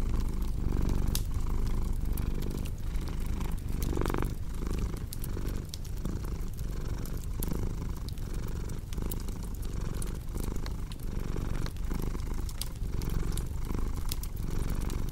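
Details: Cat purring in a deep, even drone with rhythmic breathing pulses, while a cozy fireplace crackles with frequent bright pops over the whole stretch.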